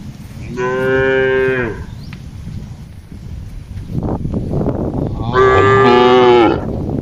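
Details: Cattle grazing among trees and green grass in a large plantation, guided by a herder; two loud, even moos about four seconds apart, with rustling and footsteps in between.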